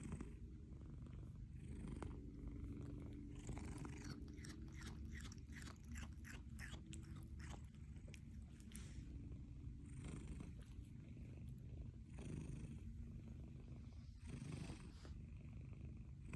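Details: A young Munchkin kitten chews snacks, making quick, crunchy clicks over a steady low rumble.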